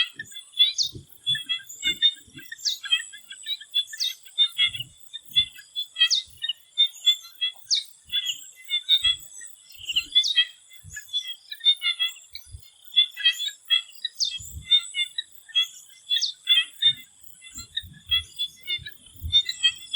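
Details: Frog chorus in a swamp in Thailand before sunset: rapid high clicks and croaks stream almost nonstop, with a falling whistled sweep repeating roughly every two seconds, a steady insect hiss and faint low thumps.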